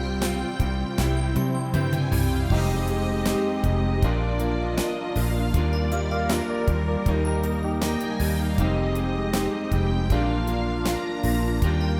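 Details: Gentle piano and keyboard music plays steadily throughout, with no animal sound audible.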